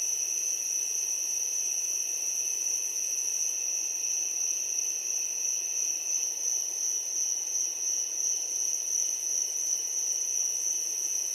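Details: Crickets chirping outdoors just before sunset: a steady, continuous, high-pitched shrill trill that holds level throughout, with no other clear sounds.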